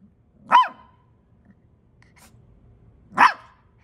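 A Samoyed puppy gives two brief, squeaky yelps, an attempt at howling.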